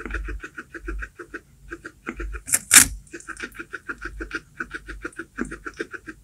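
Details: Guinea pig munching baby corn up close: quick rhythmic crunching ticks, with a loud crisp snap partway through as a piece breaks, then the steady chewing resumes.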